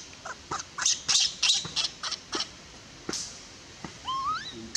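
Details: Baby monkey in the Bayon area crying as her mother pushes her away from nursing; a string of harsh, high squealing bursts, some close together, then a thin rising whistled tone with a quieter squeal near the end.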